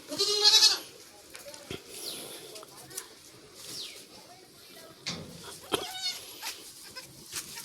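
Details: A goat on a farm, the mother of four kids born in one delivery and still waiting to pass the placenta: one loud, quavering bleat opens, then quieter rustling, knocks and faint chirps follow.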